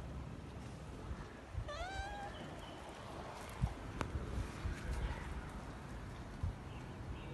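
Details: A kitten calls to her father to play while he is sleeping; a single rising, wavering meow sounds about two seconds in, then low rumbling, knocks and faint background noise.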